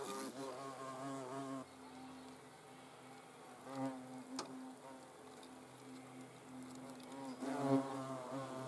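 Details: Hornet buzzing: a low, humming drone that swells at the start, fades to a softer hum through the middle, and surges loudly again near the end.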